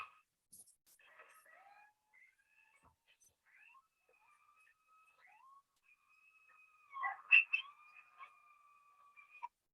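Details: Coyote pups howling together as a family group communicating: faint, thin wavering tones and short yips drifting in and out, then a louder burst of overlapping cries toward the end.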